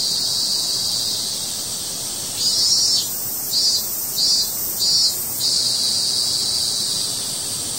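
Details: Cicada crying in a steady high-pitched hiss, with a brighter pulsing buzz rising four times in short bursts about every second midway through.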